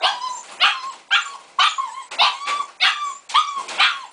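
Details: A Siberian Husky puppy in its cage, not liking it, gives its first howls: high, wavering yelps repeated about twice a second.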